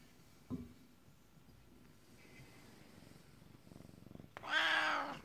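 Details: Male Siamese cat at home telling its owner about his day after her return from work: a short chirp and soft rustling, the owner's voice asking questions, then a loud, strained meow near the end.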